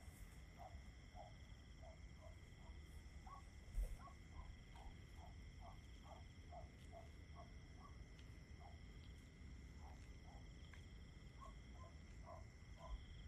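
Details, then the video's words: An even, continuous cricket trill holds across the whole stretch, accompanied by rows of short lower calls repeated at about half-second intervals and a couple of soft knocks. "Just Crickets 10 Hours Nature Sounds"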